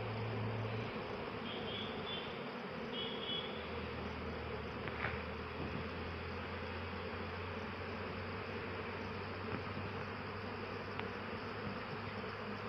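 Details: Honey bees collecting nectar from eucalyptus flowers make a dense, steady hum with a low droning tone underneath.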